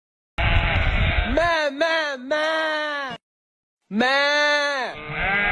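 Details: Sheep bleating loudly in long, wavering, harmonic-rich calls, two overlapping bleats then a pause and another drawn-out bleat; broadband rumble at the start.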